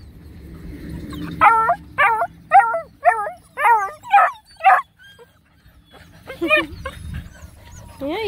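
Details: Black and Tan Coonhound puppies, nine of them, on a hike around a pond: a run of about seven rising-falling harmonic yelps roughly every half second, then a pause and a few more yelps, with faint low rumble behind.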